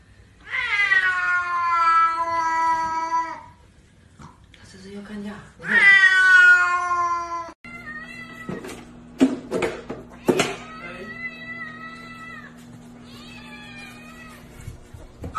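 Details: Domestic cat meowing twice, loud, strained, slightly falling cries about three and two seconds long, followed by clattering knocks and a few softer, shorter mews in a small room.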